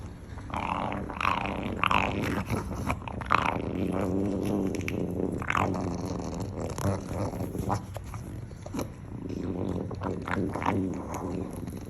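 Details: A dog producing strange, varied growling vocalizations: low rumbling grumbles mixed with rising and falling tonal moans and brief higher whine-like sweeps, running almost continuously with short pauses.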